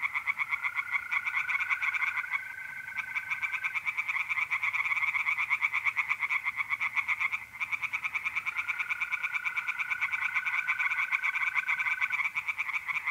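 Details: Tree frogs singing through an April night at a pond in north-east Italy: an unbroken chorus of rapid, rattling pulses, with a steady mole-cricket trill rising above it twice, near the start and again after eight seconds.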